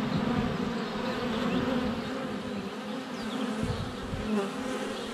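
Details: Close-up honey bee hive entrance on a sunny February day, GoPro Hero 7 Black under a foot away; a thick, continuous buzzing of many flying bees, with shifting tones as individuals pass near the camera.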